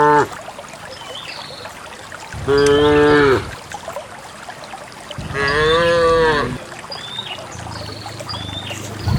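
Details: Dozens of cows walking out together toward a green valley on a quiet countryside morning along wet paths, released by their owner to graze; two long harmonic moos of about a second each, separated by quiet, with faint bird calls in the background.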